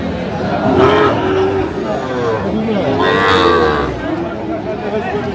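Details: Sahiwal bull calves at market on 17 August 2025, destined for Faridpur, give two short, rounded moos about two seconds apart amid a noisy crowd of talking buyers.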